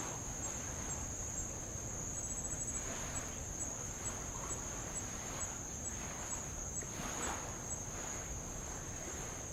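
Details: Tongan insects keep up a continuous piercing high whine beside the old lava shore of Avalau, Tonga, with faint ticking pulses riding on the drone and gentle waves swelling and hissing underneath.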